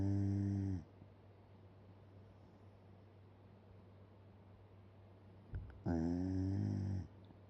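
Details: Fast-asleep Shiba Inu, mouth hanging open, ends one snore, stays quiet for about five seconds, then after a small click gives another deep, raspy, buzzing snore roughly a second long, with a steady low hum throughout.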